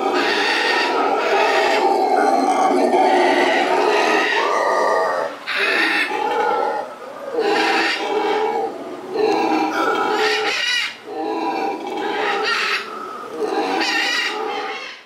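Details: Captive black howler monkeys at a zoo, a group of four newly arrived females and a resident male-and-female pair, trade deep, guttural roaring howls in rough pulsing bursts. They can see and hear each other through a tunnel system; howling mainly establishes territory.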